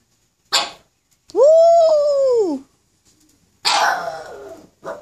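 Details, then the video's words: Black pug howling with encouragement: a short sharp bark, then a smooth arching howl over a second long, followed after a pause by a rougher, noisier bark-like yelp and a brief final yelp. "Pug Howl"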